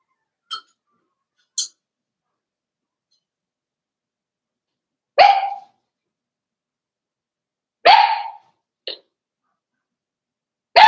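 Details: Five-week-old Cavalier King Charles Spaniel puppies in Daisy's indoor puppy pen, giving scattered short barks and yips at irregular intervals, a few faint clicks and squeaks between them.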